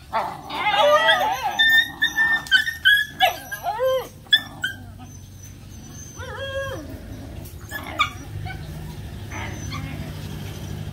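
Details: Playing puppies let out quick high yips and squeaky whimpers, several rising and falling, rapid at first and then thinning to scattered cries over a low steady background hum.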